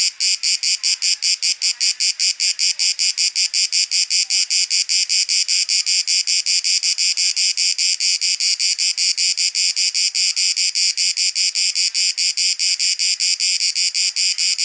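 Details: Cicada song recorded in the field in Athens, the Greek capital, September 2023: a continuous shrill buzzing made of quick regular pulses, around two and a half per second, sustained without pause throughout.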